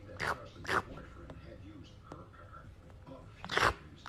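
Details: Cat licking noises: three loud, wet smacking licks, two close together at the start and one more after a pause of nearly three seconds, with faint soft clicks between them in a small, quiet room.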